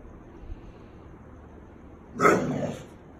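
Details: A Miniature Bull Terrier refusing to go to bed gives one short, rough, grumbling bark in an otherwise quiet room.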